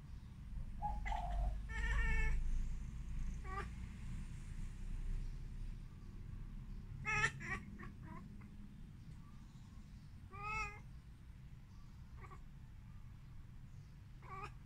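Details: Siamese cat (Wichienmaat), domestic pet, meowing as if talking with a bird: several clear harmonic meows, one drawn out near the start, others short and scattered over fifteen seconds, with soft bird chirps and low indoor rumble between.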